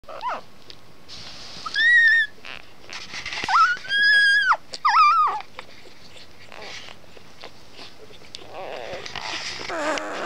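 A Labrador retriever puppy gives high, arching howls, each note swelling and falling within a second.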